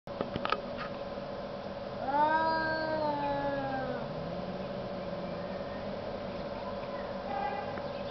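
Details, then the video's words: Two cats arguing outdoors in the snow: one long, wavering, rising-then-falling yowl from two to four seconds, a short harmonic wail near seven seconds, faint clicks at the start, steady background hum throughout. "Arguing cats in the snow"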